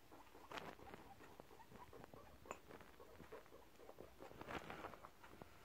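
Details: Male guinea pigs in a rank fight, quietly recorded indoors: dense bursts of sharp clicks and pattering scuffles come every fraction of a second. Brief squeaky accents rise above the soft background hiss.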